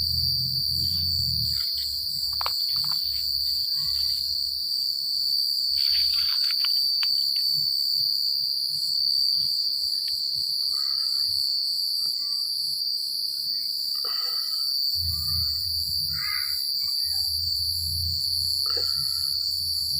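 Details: Crickets chirping at night in a secluded countryside: an unbroken shrill trill with pulsing beats, joined by scattered short chirps and squeaks from other night creatures. Low rumbling comes and goes, fading in the middle stretch.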